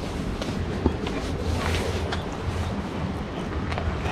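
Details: Steady roar of wind and distant vehicle rumble fills a village scene, with faint footsteps and no animal voice heard.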